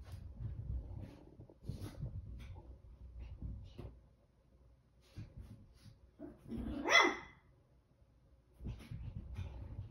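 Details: A 19-week-old Chihuahua puppy on a crazy run lets out one sharp, high-pitched yap late in the recording, rising and falling quickly, between stretches of soft low thumping and near quiet.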